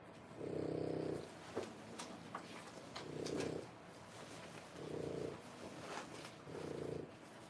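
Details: Indoor whelping of French Bulldog puppies, three weeks old, born 1/10/25, with mother Boots; four rough, purring snore-breaths repeat every one and a half to two seconds, interspersed with soft clicks and rustles.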